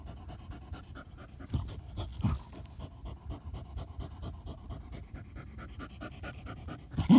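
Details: German Hunting Terrier during a badger hunt, panting in quick low rhythmic breaths throughout, with a few louder thuds and a burst of noise at the very end.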